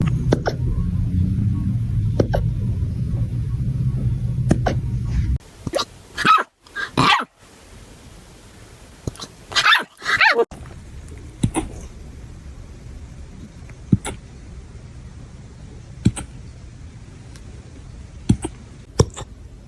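A puppy hiccups, giving short sharp clicks about every two seconds, with a few louder yelping bursts.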